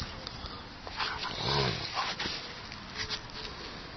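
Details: A Siberian Husky that loves ear cleaning gives a brief, low, harmonic grumbling whine during an ear cleaning, amid soft human speech.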